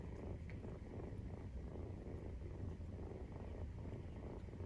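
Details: Purring Maine Coon at nursing time, 43 days after birth: a continuous deep, pulsing rumble with regular soft beats, close and even, with no other clear sounds.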